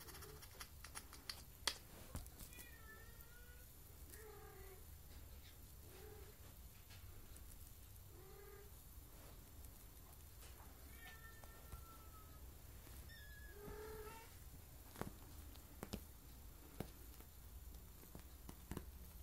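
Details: A seven-week-old Maine Coon kitten mews repeatedly, each call short, high and slightly bending in pitch, with brief pauses, amid soft clicks and handling noises in a quiet indoor room.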